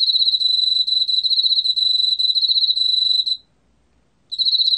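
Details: Emma field cricket singing a steady, high, pulsed trill of rapid chirps, continuous for over three seconds, falling silent for about a second, then starting again; quiet background otherwise.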